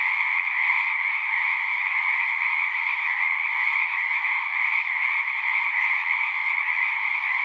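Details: Frogs in full chorus, their massed croaking trills merging into a constant two-toned buzz that stays level and uninterrupted from start to finish, nothing else clearly audible.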